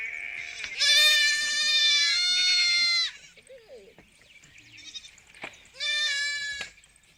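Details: A sheep on a sheep farm gives a long, wavering bleat, then a shorter one after a pause.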